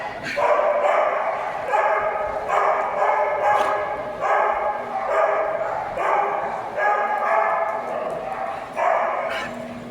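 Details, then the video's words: A dog named Penny, wanting cuddles, gives a run of loud, tonal, harmonic whining cries. Each cry lasts under a second and repeats roughly every second and a half, with a woman's voice in the background. "Penny Wanting the Most Cuddles"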